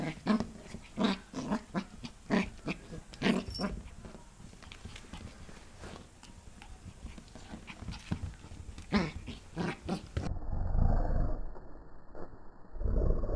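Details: Young Pembroke Welsh Corgi playing against a hand, 8 November 2014; a run of brief gruff growling bursts about four per second, loosening into softer low grumbling and rustle toward the end.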